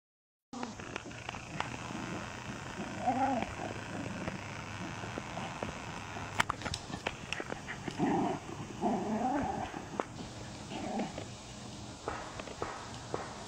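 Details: Paisley, a female Wire Fox Terrier rescued from a puppy mill auction, plays in her foster home; short harmonic growly yips and grumbles come in bursts around the third second and again between eight and eleven seconds, over steady low room noise.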